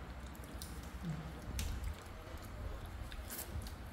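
Low, muffled handling and squishy chewing noises with a few faint clicks in a small room; no animal calls.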